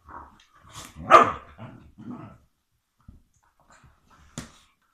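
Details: One of two sighthounds, a Galgo Español and a Whippet, playing with toys in a living room, gives a few short, hoarse barks, with a person's voice nearby.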